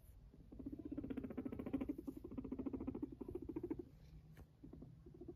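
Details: Sheltie guinea pig kept as a pet, walking and purring: one steady, low, fast-pulsed vibrating purr lasting about three seconds, then fading into quieter, shorter pulses and light pattering.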